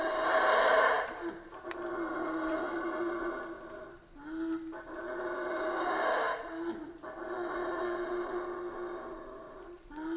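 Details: Central American rainforest howler monkeys give long hoarse roaring howls in waves lasting a few seconds each, separated by brief quieter gaps, several animals seemingly calling together.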